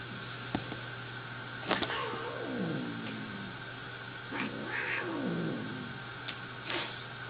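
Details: Angry domestic cat, several wavering descending yowls spread across the recording, each sliding downward, with a constant low hum and some clicks behind.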